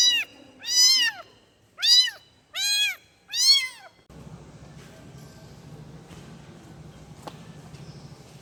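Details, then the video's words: A kitten meows for its mother, five sharp, high, arching cries packed into four seconds, followed by a steady low hum of background noise with no more calls. "EFEK SUARA ANAK KUCING MENGEONG MEMANGGIL INDUKNYA"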